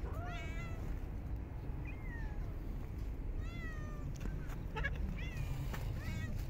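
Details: Stray cats of a park fed in very cold winter; a handful of clear falling meows and a short high squeak, spaced about a second apart, over steady low background noise and light clatter.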